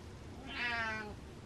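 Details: Domestic cat indoors, telling its owner off: a single drawn-out meow lasting about half a second, rising then falling slightly, in a quiet room.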